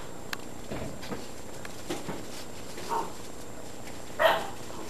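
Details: Great Dane puppies aged 52 to 56 days, from litters O and N at the Baia delle Sirene breeding kennel in Italy, give a few scattered soft yips and whines, the last two louder and brighter, over a low background hum.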